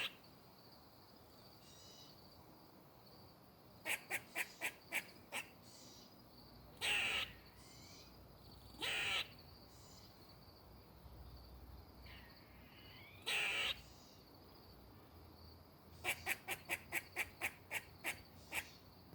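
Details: A squirrel moving in a tree gives rapid bursts of sharp clicking chucks and a few harsh, rasping barks, with faint high hum behind.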